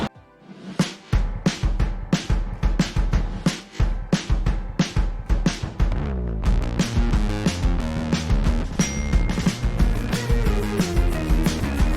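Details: Driving rhythmic music with heavy drum hits and a deep bass line building into fuller chords, no animal sounds.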